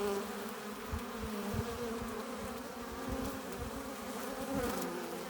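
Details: Foraging honey bees crowd the hive entrance, loaded with pollen and nectar, producing an even humming drone with faint rising and falling tones as single bees pass, over light low tapping.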